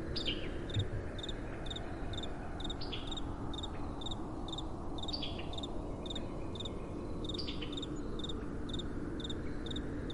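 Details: Crickets calling at night beside a gentle wind: short, high, pulsed chirps repeat about twice a second in a steady rhythm, with a few faint descending sweeps, all over a continuous low, breathy rumble of wind.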